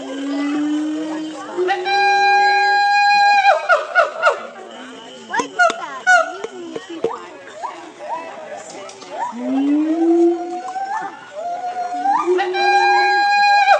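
Siamang giving loud, rising, harmonic whoops in quick succession, with chatter and music behind.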